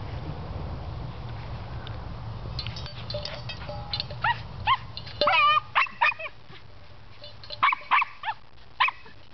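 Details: Hobbes, a Cairn Terrier obsessed with his water pan, plays with it: metallic clatter and scraping first, then a burst of short, high yappy barks and whines in uneven clusters over a low background hum.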